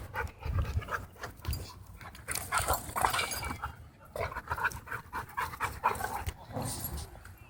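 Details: Rumbling, gravelly dog growls and strange huffing noises at a dog park, rising and falling in irregular waves, with panting and occasional human voices behind.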